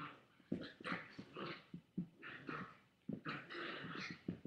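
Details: Chihuahua growling at a boy with a toy, captured on a webcam on August 13, 2011, in the afternoon; rough, noisy snarling bursts with breaks between them, swelling and fading repeatedly over about four seconds.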